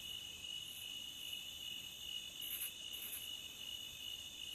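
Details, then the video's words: Beach crickets keep up a continuous, even, high-pitched trill. Brief, brighter double chirps stand out above it near the middle of the stretch. Soft background hiss. "Cricket Sound at the beach"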